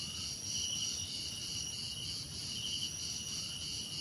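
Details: A brief stretch of dense insect chirping from crickets: layered high, buzzy trills pulsing steadily without pause, above low ambient noise.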